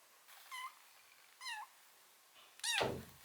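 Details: White kitten rescued from a home's front door in early winter, indoors. It gives three short, rising-then-falling meows about one second apart, and a dull thunk lands with the third.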